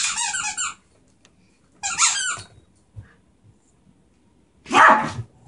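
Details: Beagle/Terrier mix rescue dog indoors, three short bursts of high squeaky yelping spaced about two seconds apart, the last one a louder, lower bark-like cry.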